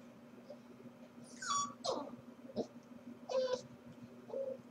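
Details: Home-alone Corgi pup, watched on a stream while its owners work, 4/21: a quick run of short whines and yelps, some falling and some held level, in uneven bursts over a constant low room hum.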